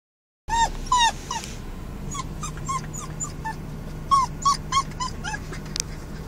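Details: A Newfoundland–Labrador mix puppy in his first week home howls in a car, unhappy at being separated from his people, giving high, falling whimpering howls one after another over a low engine hum.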